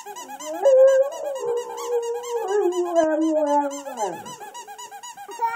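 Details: A Boxer dog (Canis familiaris) "sings" to a squeaky toy, howling in long, wavering tones that slide slowly downward over the toy's rapid squeaking.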